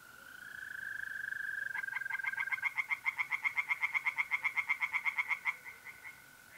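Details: Tree frogs singing in a pond on an April night in north-east Italy: a steady high mole cricket trill gives way to a fast, regular run of sharp pulsed croaks, several per second, from about two seconds on.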